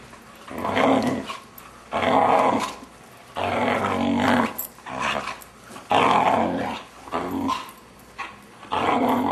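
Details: Indoors during play with its owners, a 6-month-old Vizsla makes weird noises: a string of loud harmonic growling moans, each about a second long, repeated roughly every two seconds with short gaps.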